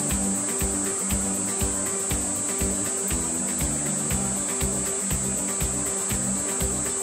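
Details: Kaempfer cicada recorded in Japan around 21 July gives a steady, unbroken high-pitched shrill hiss, with rhythmic background music playing underneath throughout.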